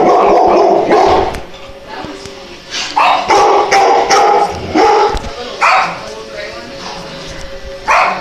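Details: Cute dogs barking in loud, irregular volleys of short yapping barks, roughly two or three a second at times with gaps between bursts, while people talk nearby.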